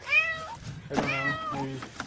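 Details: Cat stuck in cement concrete gives a drawn-out falling meow, then a second, longer, lower cry that overlaps with what may be a human voice in the background.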